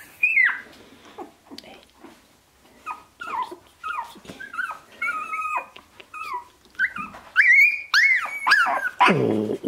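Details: Sixteen-day-old Shiba Inu puppies from Ichi Hime's litter, born 25 February 2017 and recorded 13 March 2017, give a run of high, thin whines and yips, each bending downward, repeated roughly twice a second and growing louder and more strained toward the end.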